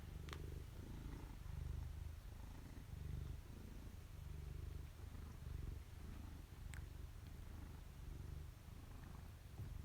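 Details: Excited Maine Coon cat purring loudly indoors, his purr likened to a motor; a continuous low rumbling in rhythmic pulses of about a second each, with two brief sharp clicks.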